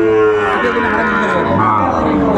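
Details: Sahiwal breed bull calf at Ambari Haat market in Dinajpur, 11 March 2024, early Ramadan: one sustained, even-pitched moo filling the whole moment, rich and nasal, with faint market voices behind.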